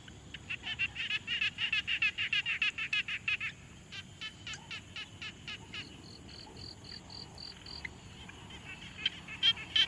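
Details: Several frogs calling together at a quiet pond, captured with a Tascam Portacapture X6: overlapping rapid clicking, rattling notes, then a higher, purer note repeated evenly about three times a second, with faint answering calls.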